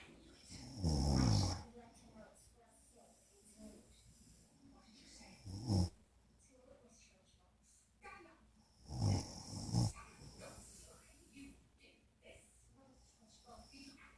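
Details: Golden Retriever named Harley napping beside a person, both snoring: deep, low rasping snores come in three bursts about four seconds apart, with quiet breathing between them.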